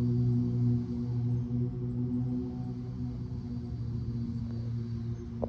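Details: Steady low droning tones like ambient music or a singing bowl hold throughout, with a faint rising squeak near the end; no clear animal sound.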